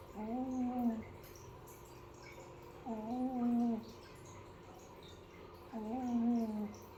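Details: Sleeping kitten named Piko, a village cat, snoring: three long, wavering, nasal tones roughly every three seconds, each lasting about a second, in a quiet small room.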